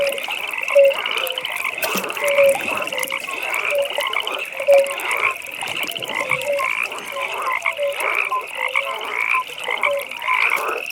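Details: Several frogs croaking together at a pond in the evening. Continuous buzzy pulsed trills sit high, with separate mellow croaks popping out irregularly below, some louder and closer than others.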